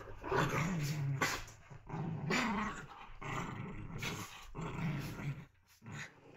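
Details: Young dogs romping together produce rough, wavering growls repeated roughly every second, mixed with bright clattering and scraping noises from their play.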